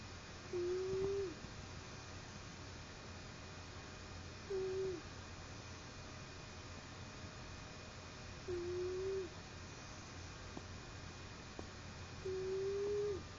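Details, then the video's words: Narla, a sleepy pet cat who snores almost incessantly when curled up for a nap, gives soft whistling snores, each a short steady tone held about half a second and repeating roughly every four seconds, four in all, over a low constant hum. "Kitty Snoring Softly"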